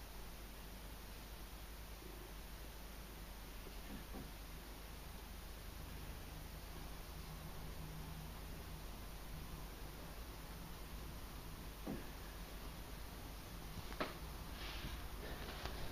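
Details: Pet cat named Kenny, indoors, being stroked with a silver spoon, which it loves; soft, low, steady purring rumbles through the middle, with light scraping taps and rustles toward the end.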